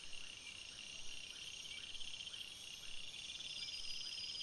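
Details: Night forest crickets: a continuous high shrill insect chorus with faint rhythmic chirps repeating roughly twice a second beneath it.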